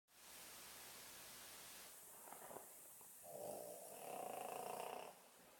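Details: Sleeping Boston Terrier snoring indoors: a steady hiss-like breath that gives way to a rough, buzzing snore with a mid-pitched drone, rising in loudness for about two seconds before fading.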